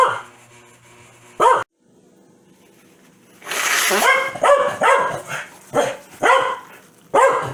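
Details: Corgi named Foxy, a pet dog that gets very mad whenever its owner sneezes, giving a burst of sharp, harsh barks in quick succession after a brief quiet spell, each bark loud and rich in overtones.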